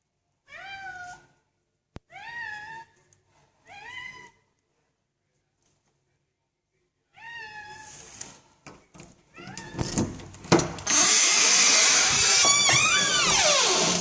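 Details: Indoor male cat calling after his owner has gone out: three clear, drawn-out meows spaced about 1.5 seconds apart, a fourth after a pause, then rustling and handling noise with one more muffled meow.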